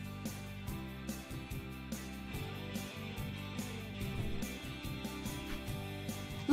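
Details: Steady instrumental music with a regular beat plays throughout, with no animal sound.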